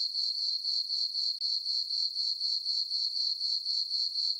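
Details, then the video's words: Summer night on a farm meadow under the full moon, crickets giving a shrill, ringing chirp in rapid regular pulses, roughly four per second, with one brief dip midway and nothing else audible. "Cricket chirping sounds for sleeping"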